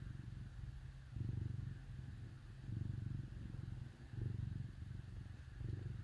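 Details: Low rhythmic purring from cats cuddled up with dogs on a cold winter day, each deep rumbling burst lasting about a second and returning in a steady in-out cycle.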